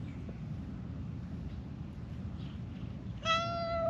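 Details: Friendly female stray calico cat met on a mountain road in Japan, happy while being stroked, gives one short, clear tonal meow near the end after low outdoor background rumble.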